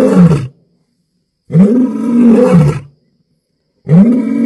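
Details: At night, an African lion roars in deep, rumbling bursts, each swelling then fading, with silence between.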